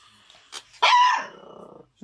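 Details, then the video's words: Miniature Schnauzer puppy barking at nothing gives one loud, drawn-out yelping bark that trails off into a rough, growly tail, preceded by a soft short sound. "Miniature Schnauzer puppy barking at nothing."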